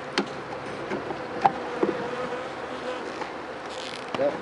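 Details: An opened honey bee hive, checked for sickness after days of rain left dead bees outside, gives a continuous low, even buzz with a few scattered taps and clicks.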